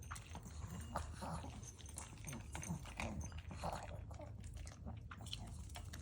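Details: Pet Maltese eating dry kibble quickly. Rapid crunching and biting clicks follow one another steadily, with a low steady hum beneath.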